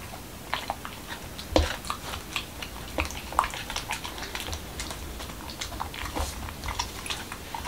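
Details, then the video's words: Momo, a male Corgi in Washington DC, eats a dog-friendly taco of whole wheat shell, cucumber and lean ground beef indoors; irregular crisp crunches and wet bites come every couple of seconds, with a louder snap near the start, in a quiet small room. "Dog Eating Tacos| Dog Food Reviews |Corgi Mukbang"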